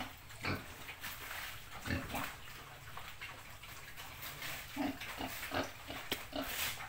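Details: Pig in the countryside giving short, low grunts scattered through the clip, some soft and some sharper, over a steady hiss of background noise.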